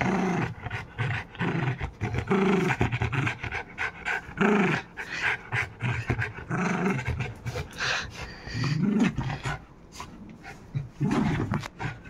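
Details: Indian Spitz pet dog giving short harmonic barks spaced roughly two seconds apart, with rough breathy noise and panting filling the gaps between them.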